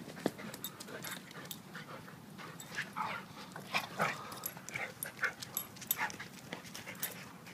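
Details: Two dogs play wrestling, a 7-year-old blue/red pitbull and a 7-month-old German Shepherd: short scuffling bursts with brief higher yelps and rough growly noises in quick irregular succession.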